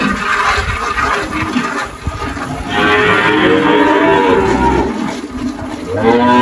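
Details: Girolando cattle lowing on a Brazilian farm in Anápolis, Goiás, early March 2023; noisy rumbling at first, then long, wavering moos rising and falling in the second half.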